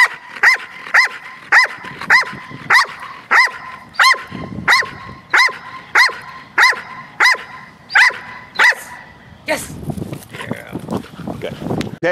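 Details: Two dogs in protection training, taught to bark on cue at a ball as the first stage of alerting work: sharp, even barks repeated about every 0.6 seconds for nine seconds, then looser barking mixed with a man speaking.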